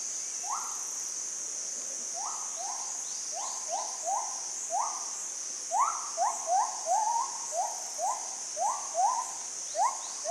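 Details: Unseen monkeys calling back and forth in forest along a mountain track south of Ban Mai Huai Hia, Chom Thong, Chiang Mai, Thailand, drawing closer. Short rising yelps, overlapping and quickening toward the end, over a steady high insect drone.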